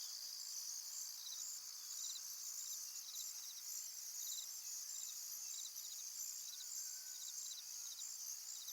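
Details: Crickets calling by a tranquil pond: a steady high shimmering trill, with short pulsed chirp bursts repeated every second or so beneath it. Faint hiss in the background.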